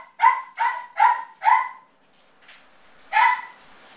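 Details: Male Yorkie alone indoors, distressed by separation anxiety, gives four ringing, tonal yelping barks in steady succession, falls quiet, then lets out one more drawn-out yelp.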